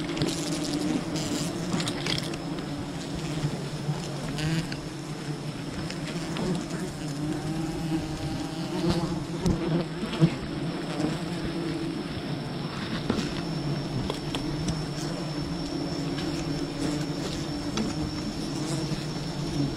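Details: Buzzing of a wild bee colony during honey hunting, a constant low drone with shifting overtones, accompanied by intermittent clicks, handling noises and a faint high steady whine.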